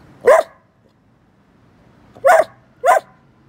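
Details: Pet Bedlington Whippet Lurcher Church, a talkative young dog, lets out one sharp bark, then after a pause two more quick barks in succession, against a quiet room.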